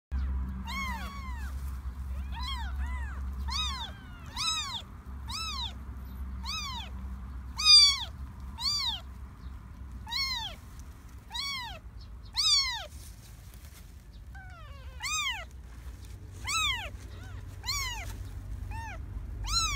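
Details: Three stray kittens in a garden give high, arched meows, one after another roughly every second, several voices overlapping, with a low steady rumble underneath.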